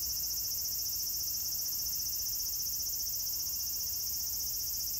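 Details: Cicadas singing at Meiji Jingu on 17 September 2018: a dense, unbroken high-pitched shrill drone holding steady throughout, with a faint low rumble below.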